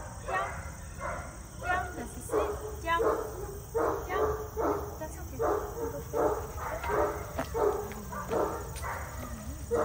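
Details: A German Shepherd mix in training barks in a steady run of short, sharp, harmonic-rich barks, roughly one or two per second, over a low background hum and faint music.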